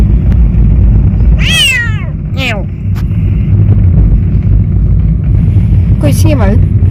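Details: Talkative cat travelling for the first time on a sightseeing outing, meowing from inside a moving vehicle: two drawn-out, falling meows close together, then a third after a pause, over a steady low engine rumble.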